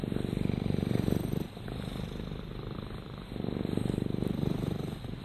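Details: Purring by Rama the cat: a low, finely pulsed rumble that swells, dips briefly, then swells again with the breath.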